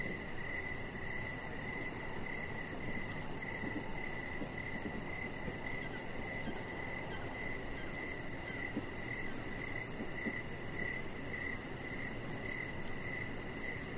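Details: Crickets chirping outside by a deck in the evening: a near-continuous run of mid-pitched chirps, a high rapid pulsing trill overhead, and a low broadband hum, with a couple of faint clicks.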